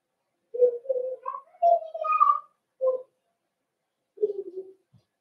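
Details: Puppy pen of Cavalier King Charles Spaniels being introduced to big dogs, 12/13/22. A run of tonal whines rises and wavers in pitch, then a short yelp and a lower, grumbling whine. No other sounds are heard.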